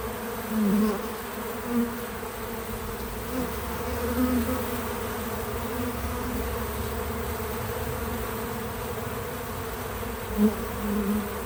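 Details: Bees visiting a feeder, natural sound with no music or narration: a steady low hum of many wings with louder droning buzzes as individual bees pass close, notably near the start and end.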